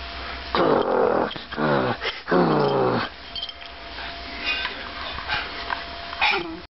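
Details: A 9-month-old female Italian Greyhound–Jack Russell mix puppy gives two drawn-out, whining growls that sag in pitch while biting into her toys. She likes being picked up while she does this.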